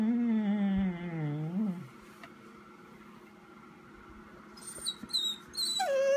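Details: Chica, a Vizsla calling out while waiting for its owner indoors, gives a long drawn harmonic whine that wavers and falls, then quiet room hum and a few sharp high squeaks near the end.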